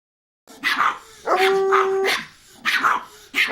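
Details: Small dogs barking in short bursts, a few sharp yaps followed by a longer drawn-out whine-like bark, then more quick yaps near the end.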